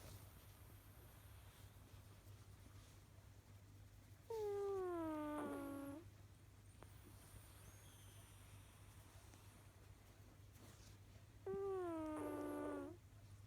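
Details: Sleeping cat Kojiro producing whistly snores: two tonal, gradually falling breaths, each around one and a half seconds long and about seven seconds apart, with a faint steady hum underneath.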